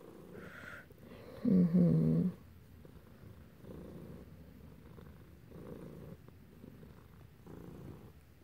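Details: Domestic cat purring indoors while being petted, one of two cats present: soft low rumbling purr pulsing in rhythmic breaths about every second and a half, with a brief louder tonal vocal sound near the start.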